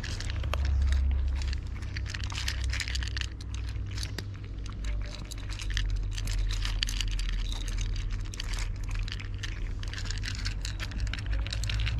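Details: Steady low vehicle rumble with dense crinkling and rustling, like a bag being handled, and no animal voice.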